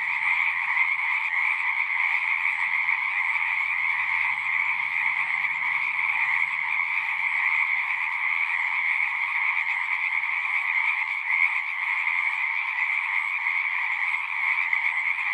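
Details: Frogs calling together at a pond in a horse pasture, recorded on a Zoom 6: a seamless, high, shimmering wall of trills lasting the whole stretch, with a faint low murmur early on.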